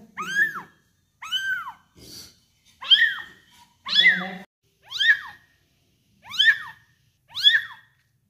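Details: One-month-old kitten being fed, mewing repeatedly in a small room: high, arched, bent-down meows with bright harmonics, roughly one per second, seven in a row, with faint low rustling and handling noises between calls.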